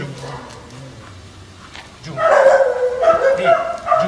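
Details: German Shepherd described as unmanageable, in its second training lesson to wait calmly near a bar. After two seconds of quiet voices and background noise, loud harsh barks burst out in rapid, irregular succession.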